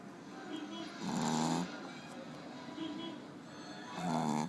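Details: A Pekingese dog snoring: two long, rough, rasping inhalations about three seconds apart, each swelling and fading over half a second, with softer breathing between them and a steady low hum underneath.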